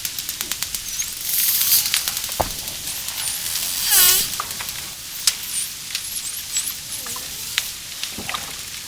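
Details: Dolphin whistling underwater: looping, frequency-sweeping whistles with a bright descending burst at mid-clip and several short upswept whistles afterward, over steady crackling clicks and water noise.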